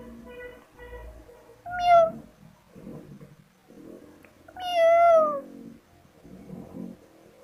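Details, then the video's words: Kittens calling with two loud meows, the second longer and bending downward, amid softer chirpy mews and faint background music. "Funny cats sounds"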